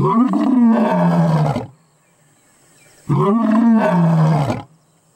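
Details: A lion on safari in South Africa, recorded from about 20 feet away, gives two powerful deep roars, each swelling, peaking and trailing off over about a second and a half, separated by a brief quiet gap.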